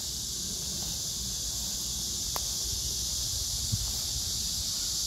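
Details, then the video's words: Cicada chorus with grass insects in Hwarang Park, Danwon-gu, Gyeonggi-do, 9 August 2024, beneath blooming crape myrtle: continuous high, even buzzing hiss, with two short knocks breaking through. "매미 울음소리 풀벌레소리"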